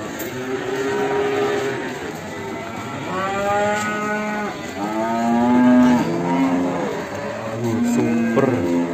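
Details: Cattle being shown for sale in Ambarketawang, Sleman, a large animal for qurban; several drawn-out harmonic moos rise and fall, overlapping, with background music and murmuring voices.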